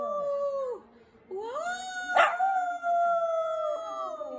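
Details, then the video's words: Shih Tzu howling in long sustained tones, each note holding steady then sliding downward at its end, with a short silent pause between howls. "Ultimate Shih Tzu Howling compilation"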